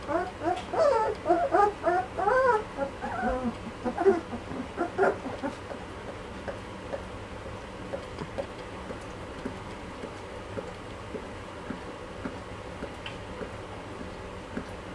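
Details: Malinois puppies aged two and a half weeks: a burst of rapid wavering whimpers in the first five seconds, then faint scattered squeaks over a quiet background.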